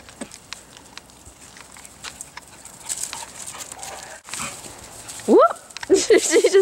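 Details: Beagle puppy at play with a friend, Daisy and Buddy on a play date; quiet rustling and scuffling, then near the end a rising yelp followed by short growly barks and whines.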